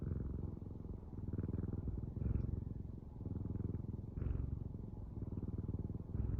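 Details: Domestic cat purring close to the microphone, a low rumbling vibration pulsing in slow cycles of inhale and exhale, roughly one swell every two seconds.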